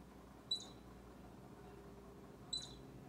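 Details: Baby squirrel close to Bushy, an orange cat, giving two short high squeaks about two seconds apart, each a sharp chirp with a brief upper buzz, over a quiet indoor-sounding hum.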